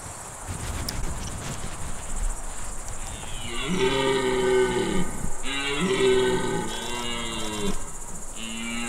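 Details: Red deer stag in the Czech Republic during the 2021 rut, drawn in with a lure imitating a hind in heat, giving two long, deep, harmonic-rich roars separated by a short break, over a steady high insect hum.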